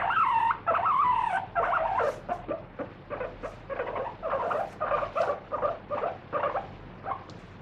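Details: Pet guinea pig kept free-roaming, squealing loudly while being wiped down in a body check, first long rising wheeks, then shorter pulsed squeaks about every second.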